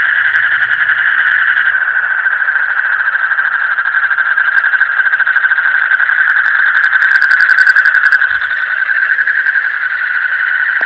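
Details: Frogs calling deep in the night, a dense steady chorus of fast pulsing trills at a middle pitch, many voices merging into one continuous buzzing drone with a few faint high ticks.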